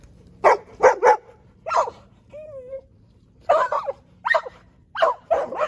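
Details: Several dogs gathered at a fence bark in short bursts of two or three sharp barks, with a brief whine between them.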